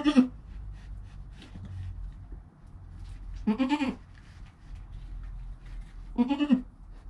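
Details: Joel, a goat kid less than an hour old beside his mother Penny, captured with a GoPro, gives three short quavering bleats spaced roughly three seconds apart over a low background rumble.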